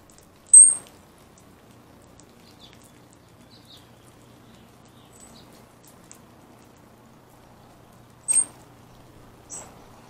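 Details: Round-tailed ground squirrel named Bubba, described as ready for hibernation, giving three short, very high, thin whistled chirps, one near the start and two close together near the end, separated by long quiet stretches over low background hiss.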